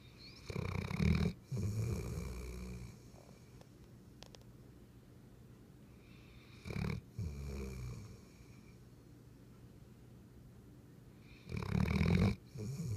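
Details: A Weimaraner snores in deep, rumbling rasps, with quiet breathing between the louder snores; recorded June 10, 2015.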